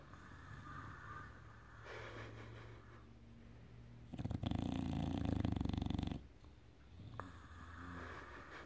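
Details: English bulldog named Enzo snoring after a Saturday night out, indoors; a quiet low rumble swells into one loud, rasping, pulsing snore of about two seconds, then fades back to soft breathing.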